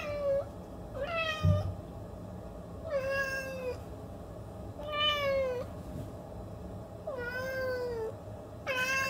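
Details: Siamese cat meowing: four drawn-out, nasal meows with rich harmonics, each about half a second to a second long, spaced a couple of seconds apart, with a brief faint knock near the start and otherwise quiet background.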